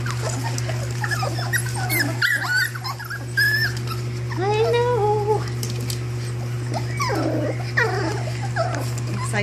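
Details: Pups of the Belle and Lancelot litter give short, wavering whines in scattered bursts between stretches of a woman's chatter, with a constant low hum underneath.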